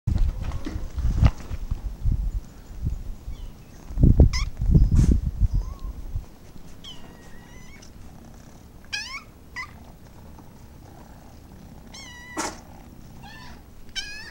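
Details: Several little domestic kittens give short, high, harmonic meows at scattered moments, some rising then falling, after a first half filled with low rumbling handling and bumping noise.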